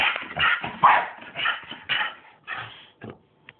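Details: Playing bulldog and Staffordshire bull terrier, Bruise and Winston: a quick run of loud, rough barks and yips, about two a second, fading into huffs, with a person calling to the dogs right after.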